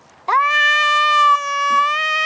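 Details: Long sustained meow from a Maine Coon cat, nearly two seconds of steady, rich harmonic tone rising sharply at the onset and holding level to the end.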